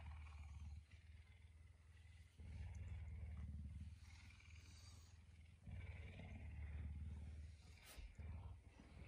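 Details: Messi, a pet puma kept in a home, rouses its owner at dawn around 5 a.m.; deep, continuous low rumbling in long bouts of two to three seconds separated by short breaks, with faint household noise.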